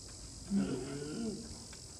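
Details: A polar bear gives a low, moaning vocalization that rises and falls over about a second, at Asahiyama Zoo on July 26 as a mother and her cub are given salmon.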